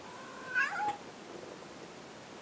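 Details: A domestic cat gives a single short meow, rising then falling, with bright harmonics lasting under half a second, followed by quiet room hiss.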